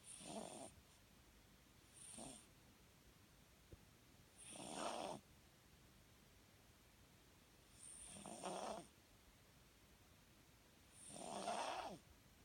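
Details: Sleeping Papillon in foster care, dreaming with twitching ears and paws, giving soft wheezy snores, five breathy bursts at irregular intervals of about two to three seconds in a quiet room.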